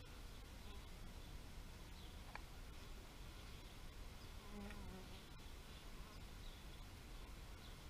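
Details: A gentle bee drone runs throughout, and one insect buzzes closer and louder for about half a second midway. Faint high chirps from small birds sound now and then.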